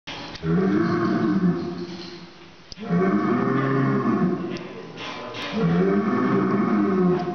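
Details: Breeding bulls, having smelled blood, "sing": three long, loud bellows, each a drawn-out, moaning tone that wavers in pitch.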